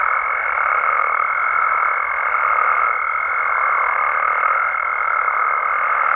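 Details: Frogs chorusing at night in Mexico. A bright, piercing, unbroken high tone sits over a dense bed of overlapping croaks that gently rise and fall in volume.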